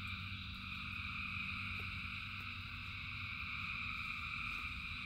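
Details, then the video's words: Rain-soaked frog chorus with thousands of voices merging into a level, sustained high trilling, while a stronger low humming rumble runs steadily underneath. "Frogs in Rain 2 Hours of Frogs, Thousands of Frogs Singing"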